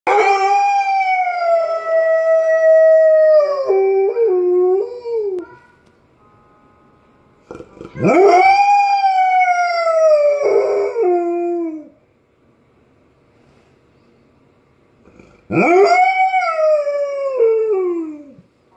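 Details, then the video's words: Irish Setter, a pet dog, howling while listening to dog singers online: long tonal howls that swell upward then slide slowly down, three drawn-out phrases separated by pauses, with a faint background tune between them. "Singing Irish Setter"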